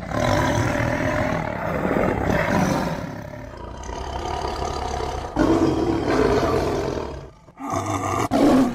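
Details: Tiger giving a sustained, rough, low roar that rumbles on for several seconds, then breaks into louder harsh bursts separated by short gaps near the end.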